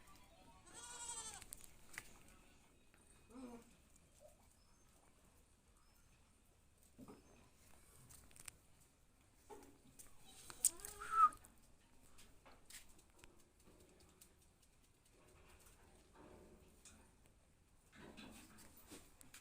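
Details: Barbari goats on a goat farm in Uttar Pradesh, India: a few quavering, harmonic bleats, one near the start and a louder one near the middle, separated by quiet stretches with faint clicks and rustles.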